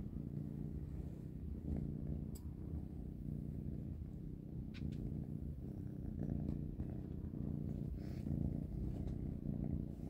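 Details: Panda, Grayie and Goldie, three kittens, munch dry cat food for dinner. An unbroken low purr fills the whole stretch, dotted with light crunching clicks.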